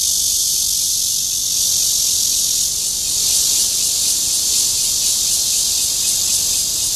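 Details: Cryptotympana holsti cicada singing for a mate in Zhongli's Guangming Park, Taiwan; a dense, high hissing drone with faint rapid pulsing in its upper part, steady in loudness.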